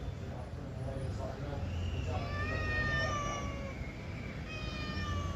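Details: Pet cat answering its owner in conversation, giving a long level meow that trails off, then a shorter meow near the end, over steady background hum and a man talking in Telugu.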